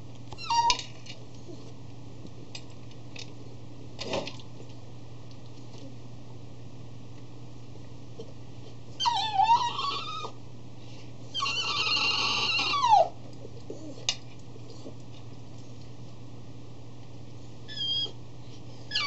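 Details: A 3-year-old male Cavalier King Charles Spaniel cries piteously indoors before eating from his dish. After quiet stretches with soft knocks, two high, wavering whines slide downward, the second longer, then a few more knocks follow.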